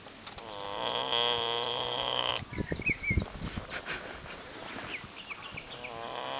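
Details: Pig snoring at an ostrich farm in Curacao, Dutch Antilles, one long, nasal, harmonic breath followed by soft uneven grunts and puffs, while birds twitter nearby.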